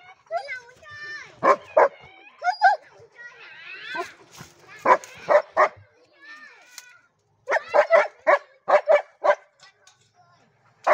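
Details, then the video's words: Mixed-breed German Shepherd dog barking in short sharp clusters of two to four barks, with pauses between groups; some human voices mix in between the barks. "Chó lai bégie đức"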